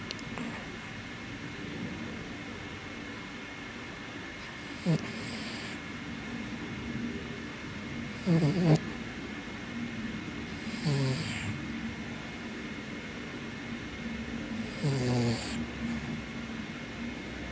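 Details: Asleep and sometimes congested, the elderly Toy Poodle named Ippo lets out soft snoring breaths every three to four seconds. Each is a brief rasping, nasal rattle over a quiet, steady hum.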